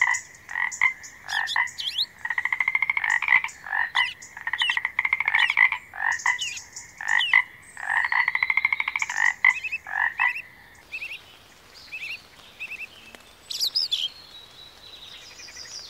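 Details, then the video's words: Frog calling in loud rattling bursts of rapid pulses, each burst lasting about one to two seconds and repeated with short gaps for ten seconds, then falling silent while faint high chirps continue. "Magical Frog Sounds"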